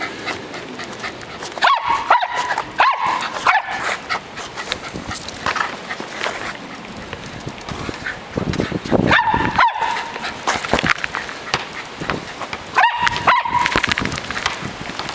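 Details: Dog busy with a ball gives three short bursts of high yipping barks, spaced several seconds apart, amid constant rustling, scraping and knocking play sounds.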